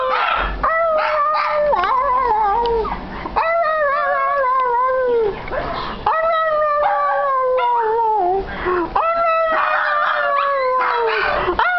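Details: Two Shih Tzus "sing" together, howling in long, wavering, high-pitched notes that rise and fall with brief breaks.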